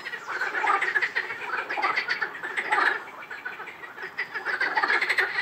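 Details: Chorus of frogs at Rainham Marshes, many animals calling at once with rapid, overlapping croaks and rattles that swell and ebb in a steady, pulsing mass of sound.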